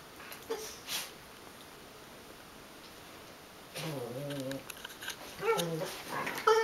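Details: A wire-haired Dachshund mix and a Schipperke/Dachshund mix playing together. After a quiet stretch with light scuffles comes a burst of wavering growly grumbles, followed by sharper whiny yelps near the end.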